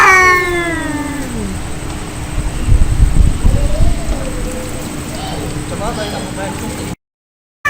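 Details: Angry cats fighting: a loud, drawn-out yowl with rich overtones slides steadily downward over the first second and a half, followed by a rumbling, noisy background with faint, wavering cries toward the end and a brief silent gap.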